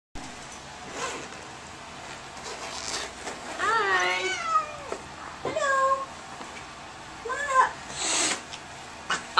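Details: Angry cat in a small carrier at the vet's office gives drawn-out wavering meows, about three long yowls rising and falling in pitch, between short quiet gaps; faint voices and handling noises in the room.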